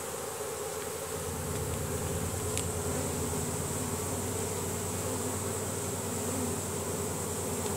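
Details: Honey bees in a swarm crowding into a new home box, signalling with Nasanov pheromone. A thick, continuous droning buzz with a pulsing low throb underneath and a faint brief click partway through.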